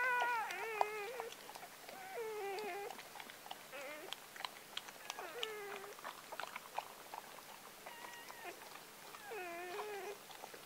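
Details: Freshly born Gordon Setter pup, seventh of nine whelped by Clea, aged four, on October 23, 2014, squealing almost nonstop: wobbling, nasal cries repeated in quick bursts, mixed with soft clicks and rustling.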